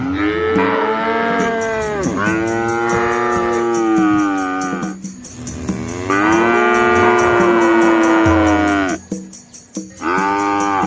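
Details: Red Asian village cows crossing a small flowing river with their calves amid lush green trees; loud, long, slightly falling moos overlap one another, backed by a high ticking buzz and low rumble.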